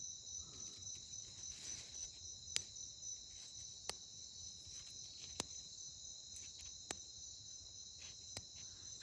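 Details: Click beetle, Chalcolepidius, handled at night in forest of Colombia's Sierra Nevada, tucking its legs and clicking to evade predators: five sharp dry clicks about every one and a half seconds over a steady high insect drone.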